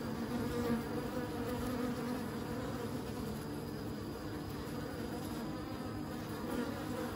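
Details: Bees buzzing in a continuous low hum, with steady tonal bands and a dense, even drone that holds for the whole stretch without pause.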